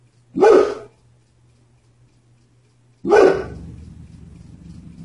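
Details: Household dog reacting to the mailman with two single sharp, loud barks about two and a half seconds apart; a low rumbling noise follows the second bark.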